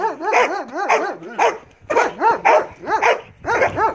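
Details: Marley, a Belgian Malinois, during bite work training: rapid, arched, harmonic barks repeated about twice a second in uneven bursts, each bark rising and falling sharply, with brief pauses between groups.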